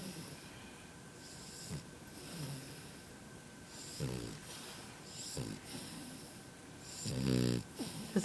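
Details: A sleeping French Bulldog puppy gives short, soft snores, then a louder, drawn-out rasping snore near the end, over a quiet indoor background with faint murmuring.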